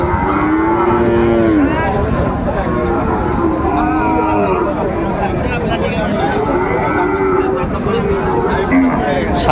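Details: Cattle at Raniganj livestock market, Friesian and crossbred bull calves on sale: several drawn-out moos, one long low call near the start and shorter ones later, amid steady crowd chatter and market hubbub.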